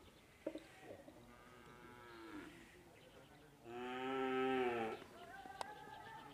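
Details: Madura cattle during karapan sapi bull race training at the Asemanis field in Pamekasan, Madura, East Java, Indonesia; a drawn-out, rich harmonic moo of about a second and a half, preceded by fainter lowing and soft voices.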